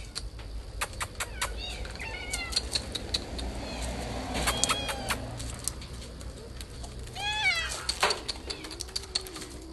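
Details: Garden cats recorded 8 June 2020: several short, wavering meows with bending pitch, one descending near the end, over constant rapid clicking, a soft voice talking, and low outdoor hum.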